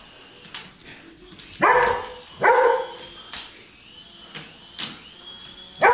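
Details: Poodle barking in reaction to a helicopter overhead; sharp single barks spaced roughly a second apart, interspersed with brief higher yips and clicks, a steady faint mechanical hum underneath.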